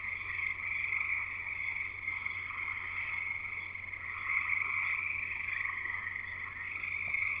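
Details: A dense frog chorus at a house in Escanaba, Michigan (Upper Peninsula): high, overlapping trills and peeps, steady and unbroken throughout.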